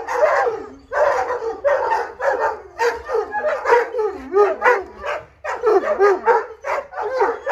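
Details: Irish Wolfhounds, puppies among them, howling to go for a walk: a run of short wavering howl bursts about every half second to second, each bending up then down, separated by brief gaps, with one deeper sliding note.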